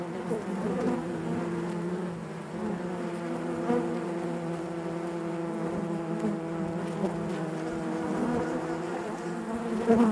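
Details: Inside a honey bee hive, an even, unbroken buzz of many bees with clear banded harmonics, nearly constant in loudness, a small swell at the very end.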